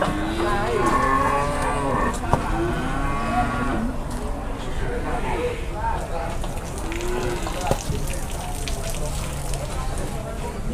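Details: Cattle at a market while buyers bargain over them: several deep, drawn-out moos that bend up and down. They overlap with steady crowd chatter and background noise.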